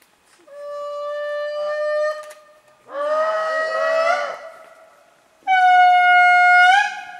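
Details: Indri lemurs calling in Andasibe, Madagascar, give long, horn-like wails, each held steady for one to two seconds.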